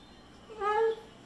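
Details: Zeusy the Pit Bull, told the chicken is gone, utters a soft, short howl that swells slightly upward and ends abruptly after about half a second.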